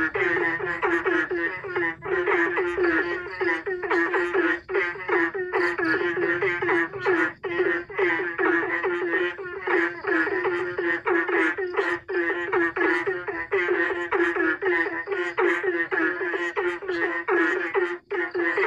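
Frogs call back and forth in a dense chorus of quick, nasal, pulsing notes that overlap like a rhythm.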